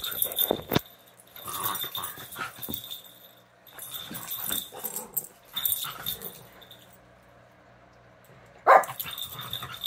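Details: Puppies at play with the dog Leia while Sadie acts as referee; short rough growly bursts come between scuffling and pawing noises, with a steady thin ringing tone and a sharp yelp-like cry near the end.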